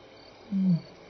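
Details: Lion contact calling at Elephant Plains Game Lodge, South Africa, between 6 and 7 PM on May 26, 2011: a single short, deep moaning grunt, steady then slightly falling, over faint background hiss.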